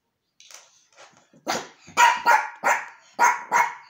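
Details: Yorkshire terrier named Archie, indoors, reacting to a new toy: a few soft yips build into six loud, sharp barks in quick succession, about three per second by the end.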